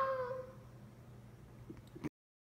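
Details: A male Siberian Husky puppy, woken from his nap by his owner's singing, gives a brief, tonal whine that falls slightly in pitch, a complaint at being disturbed.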